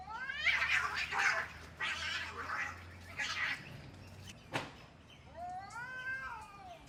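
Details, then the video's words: Cats in a fight: repeated loud raspy hisses and spits for four seconds, a sharp click, then a wavering arched yowl near the end. "Cat Fight"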